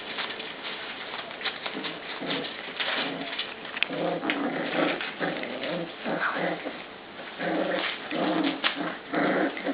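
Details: Puppies in their pen at mealtime squabble over dog food, one lying across the bowl. Rough, pulsing growls come in overlapping bursts, mixed with whimpers and yaps. Scuffling and clatter are heard throughout in a small room.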